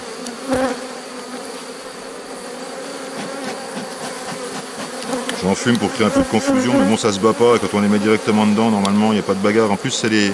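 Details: Honey bees around a drone-laying colony under rescue, 3 May 2021, with nurse bees from a rather aggressive neighbouring hive introduced. Low background hum for five seconds, then a swelling, warbling buzz of bees flying near, fluctuating steadily in pitch.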